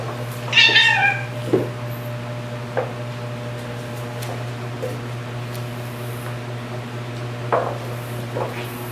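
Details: Margaret, a rescued white cat with orange head and tail markings, opens with one strong wavering meow, followed by scattered soft thumps and clicks indoors over a persistent low hum.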